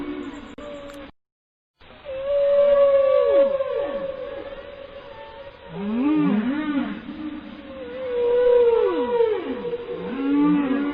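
A whale sings long, wavering moans with swooping upsweeps and downsweeps in a repeating phrase.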